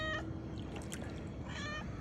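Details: Pet cat stranded in a flood, being rescued by its owners: two short, tonal meows, one at the start and another about one and a half seconds later, over steady low rumbling background noise.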